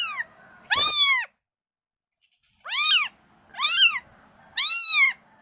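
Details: Mother cat tending and cleaning her kittens, repeating bright arched meows, one loud call followed after a pause by three more in quick succession roughly one second apart, with faint soft background mewing.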